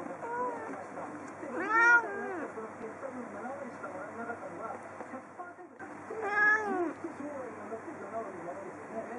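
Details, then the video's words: Sleepy pet cat at a window meowing at birds outside: two drawn-out, arching meows about four seconds apart, with a steady background murmur of voices or broadcast sound throughout. "Dreamy meow voice of my cat."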